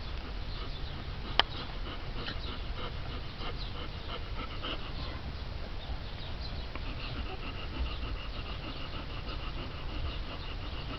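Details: Four-week-old Alaskan Malamute puppies from a litter born 31 March 2011, wrestling and playing hard together; soft, steady rapid panting runs throughout, with a sharp click near the start and a low rumbling background.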